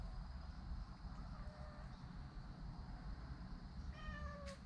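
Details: Stray cat family eating cautiously; a faint descending meow midway and a clearer falling meow near the end over steady low background rumble and hiss.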